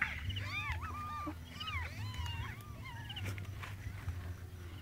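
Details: Newborn kittens looking for their mother, giving many thin high mews that arch up and down, overlapping and repeated rapidly, over a steady low hum.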